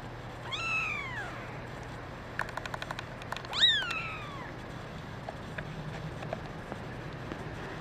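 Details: Red mackerel tabby male kitten among a group of kittens giving two arched, rising-then-falling meows a few seconds apart, with soft tapping clicks between them over a low background hum.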